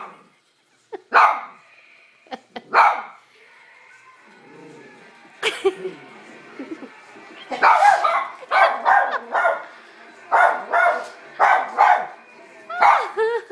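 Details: Pet dog reacting to a man's sneeze with a run of sharp barks, scattered at first, then coming quickly in a steady series of about ten barks over the last six seconds, with a voice faintly in the background.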